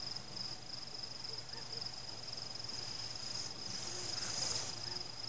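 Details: Night crickets singing through a fireworks celebration, free of people, pets, music and traffic. Their shrill, evenly pulsed trill continues without a break, and a fireworks burst swells near the end.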